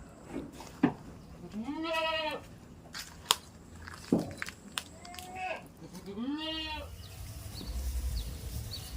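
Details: Goats kept on a farm in a village; three drawn-out, wavering bleats at roughly two, five and a half and nearly seven seconds, with sharp clicks and knocks between them.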